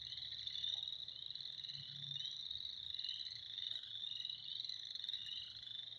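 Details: In spring, a thick chorus of frogs keeps up a continuous high, shimmering trill of many overlapping voices, alongside a faint low hum.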